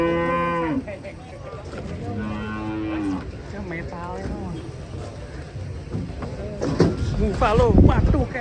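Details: Mooing cattle from a compilation of funny, unusual cows. A strong harmonic moo opens, then several shorter, wavering moos follow, amid heavy low-pitched background noise and bursts of louder commotion near the end.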